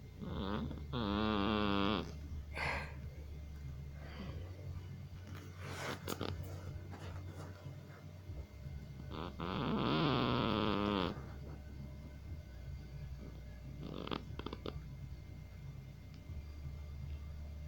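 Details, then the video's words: Sleeping Persian cat snoring and snuffling, with two long wheezy, whistling snores about eight seconds apart, several short sniffs and snorts between them, over a constant low droning rumble. "Персидская кошка смешно храпит, сопит!"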